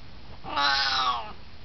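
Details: An 18-year-old Siamese cat, just hanging out and chatting, gives one long, drawn-out meow that rises and then falls away.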